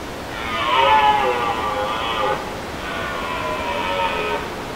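A red deer gives two drawn-out, moaning calls, each lasting about two seconds.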